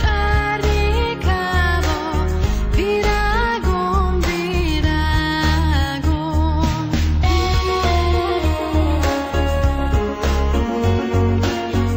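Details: Steady instrumental music with a singing voice and a strong, regular bass beat throughout; no animal sounds.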